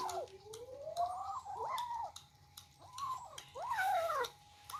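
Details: Young cats squabbling over their first meal of rice and fish: a long rising meow, then several bent, wavering meows that overlap at times, with light tapping and clicking from eating.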